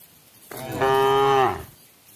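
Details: Cow in a herd calling to the others while the herd eats together toward nightfall and is given water; one long, loud, steady moo with a clear tonal pitch that dips slightly at the end, in a quiet setting.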